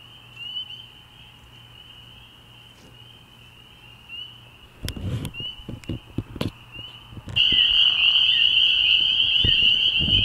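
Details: Spring peepers at a frog pond on an early-spring night. A faint, distant high piping chorus gives way to several dull thumps, then swells suddenly into a loud, shrill ringing wall of peeps.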